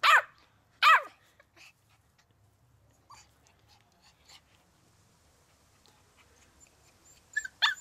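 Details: Puppy Chewie, 15 weeks old, barks while playing in the garden and learning the steps: two loud, high barks close together, a few soft yaps, then two more barks near the end, with quiet rustling between.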